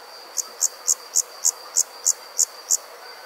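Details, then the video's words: Insects calling on a summer night in the countryside, one high chirp repeated evenly about three times a second, nine pulses in a row, over a steady high background hum. "Nighttime Insects Country Living, Nature | Comforting Summer Insect Sounds"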